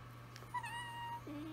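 Italian Greyhounds give a drawn-out, tuneful howl, one voice steady and high, another joining lower.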